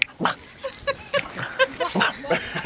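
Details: Dog in Marstrand, Sweden, barking at a crab: short, sharp, tonal barks or yelps, about six in quick succession, each roughly a quarter to half second apart, over faint background noise.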